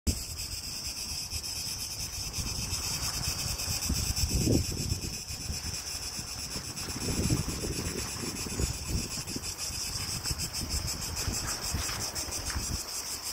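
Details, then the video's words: Really loud cicadas in Greece on a hot day: a steady, dense high buzz with a fine pulsing texture fills the whole recording, over heavy low wind rumble and gusts. "really loud cicadas in Greece on a hotday"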